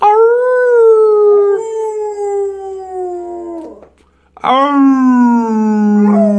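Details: Pet pit bull howling as it sings along with its owner: two long, smooth tonal howls, the first held and slowly falling over about three and a half seconds, then a short gap and a second howl starting high and sliding downward.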